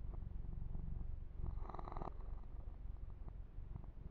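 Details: Massaged male kitten giving a low, rapidly pulsing purr that carries through the whole stretch; a single swishing grooming stroke over the fur sounds midway.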